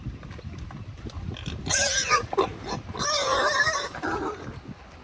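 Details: Wild boars on a farm in Vietnam's Central Highlands, foraging on a morning: two harsh, rising squeals over soft grunting and rustling.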